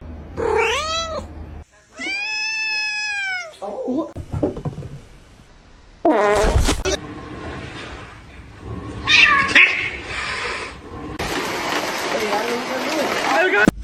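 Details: Kitten meowing and crying indoors: two clear harmonic meows at the start, the second long and steady, followed by scuffling, a loud burst, broadband rustling and other noises through the rest.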